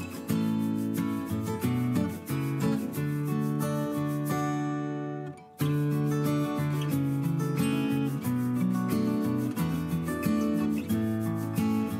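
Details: Plucked acoustic guitar music plays throughout with a brief pause near the middle, and no animal sounds.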